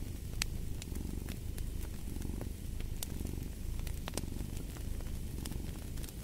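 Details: A domestic cat purring steadily beside a fireplace: a low, rumbling, pulsing drone that swells and fades with each breath, while sharp pops and crackles of burning wood punctuate it throughout.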